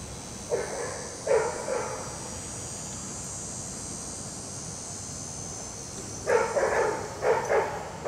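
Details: German Shepherd/Collie mix Dixie, from a before-and-after training session with Raleigh Durham dog trainers, barks in two bursts: a pair of sharp barks early, then a rapid run of barks near the end, with steady background hiss.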